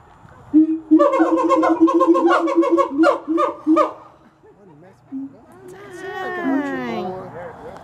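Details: Captive siamangs at Gulf Breeze Zoo: a rapid run of loud, harmonic-rich barking hoots, about three per second, then a pause and a series of sliding, rising-and-falling whooping notes, with people talking quietly.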